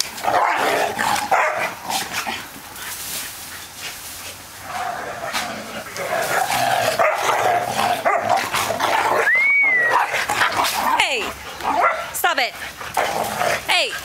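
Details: Four playing dogs (pit mix, Ridgeback mix, Puggle and Yorkie) bark rapidly and unevenly, with sharp yips and rising whimpering yelps toward the end amid scrambling sounds.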